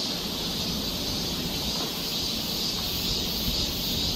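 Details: Cicadas on a summer forest trail in Seoul, Korea: constant shrill, hissing high drone with faint low-pitched background noise.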